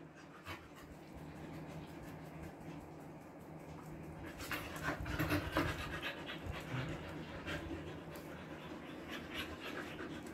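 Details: Siberian Husky, recently body-trimmed, in summer heat in Kolkata, India: rapid breathy panting, soft broadband puffs in quick succession that grow louder midway, with a steady low hum behind.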